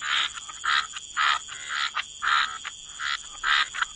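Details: Frogs croaking by the waterside in wetlands: short, rasping pulsed bursts repeat about once a second, each a bright buzzy rattle, with softer overlapping croaks between them and a faint steady high hiss throughout.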